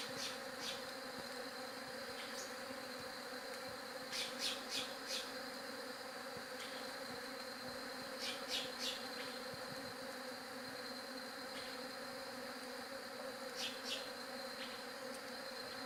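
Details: Bees humming in a steady, even drone with layered low tones, while short bright chirping bursts break in every few seconds above a faint high ringing tone.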